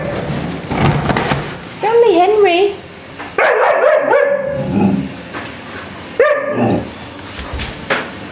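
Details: Hudson, an Alaskan Malamute puppy, shouting at a Henry Hoover vacuum cleaner indoors: wavering, wobbling howl-like vocal bursts, several drawn-out moans with shifting pitch, interleaved with a person talking to him calmly.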